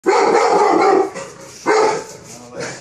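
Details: A two-year-old male Rottweiler in Sochi, at his first training session, gives deep, rough barks in separate bursts while guarding.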